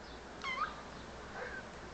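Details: Pet kitten answering its owner gives a brief, rising squeaky mew under a quarter second long, then a faint murmur; quiet indoor background with the owner speaking gently in Turkish.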